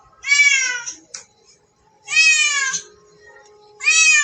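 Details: Cat meowing while playing with a mouse: three drawn-out, high, harmonic-rich meows, each level or slightly rising and slurred, spaced by short silences, with faint background clicks.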